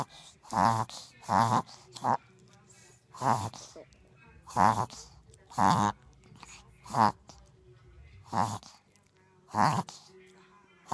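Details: Small dog in a reverse sneezing fit, a backwards kind of sneezing that happens every now and then; rough, honking inward snorts repeat about every second, some coming in close pairs, with a person's voice faintly between them indoors.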